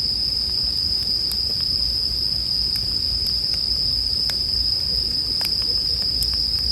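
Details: Bell crickets in a sleep soundscape: an unbroken high, ringing trill holds one steady pitch throughout, with sharp campfire crackles and pops scattered over it and a soft low fire rumble underneath.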